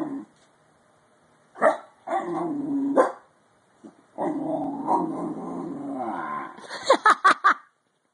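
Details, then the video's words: Yawning Bull Terrier puppy giving long, drawn-out voiced groans. Several sustained tonal stretches lasting one to two seconds each, separated by brief pauses, ending in a few sharp, clipped yelps. "bull terrier puppy yawning funny"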